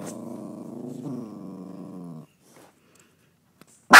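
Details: Dog in a car growling at another dog in a neighbouring car; a steady low rumbling growl lasting about two seconds, silence, then the onset of a loud bark.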